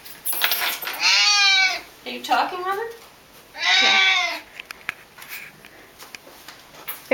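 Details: A male Siamese cat, nearly 11 years old, gives loud, drawn-out, wavering meows in excitement as the owner's mother comes home from work.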